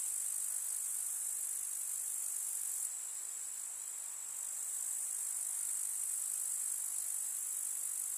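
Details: Rural summer meadow grasshoppers create a continuous, bright, high-pitched rasping chorus. A short dip in intensity in the middle is followed by a return to a steady drone.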